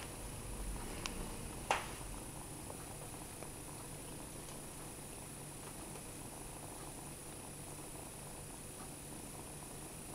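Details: Low continuous purring from Ruby, a foster mother cat with three 9-week-old kittens who has succeeded in adopting the motherless kitten Fera, heard in a small room, with one sharp knock near the start.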